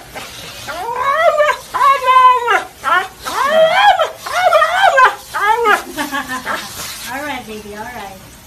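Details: Husky 'talking' in a series of short, arched, yodel-like vocal bursts that rise and fall in pitch, about a dozen over eight seconds, growing quieter toward the end in an indoor setting.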